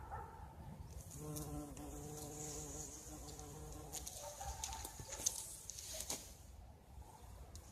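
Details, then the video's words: A bumblebee at flowering currant bushes in spring gives one steady, low-pitched droning buzz lasting about three seconds, fading as it moves off, with quiet outdoor background noise and a faint click. "Bumblebee Buzzing and Currant"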